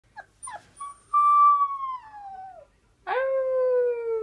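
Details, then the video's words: Four-week-old wolf pup kept as a pet, finding its howl for the first time: a few short yips, then a clear tonal howl slowly falling in pitch, a pause, and a second howl sliding gently downward. "the wolf puppy howling"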